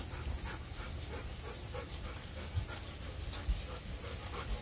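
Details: Golden Retrievers Kohaku and Ibuki heading home from a walk under the blazing summer sun, cheerful as they near their cool room; quick rhythmic panting breaths, roughly four per second, steady throughout over a low background rumble.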